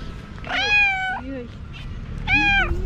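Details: ['Tabby cat, a female, meowing in the morning for attention after seeing a dog being petted, having pawed at the camera; two clear drawn-out harmonic meows, each slightly rising then falling, about two seconds apart, with a faint steady background hum.']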